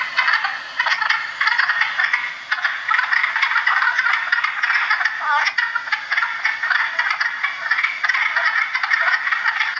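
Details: Wood frogs, a very common species in Ontario, heard from March into April in breeding pools shared with peepers and chorus frogs; a dense chorus of rapid, rattling, duck-like clucks overlaps continuously without pause.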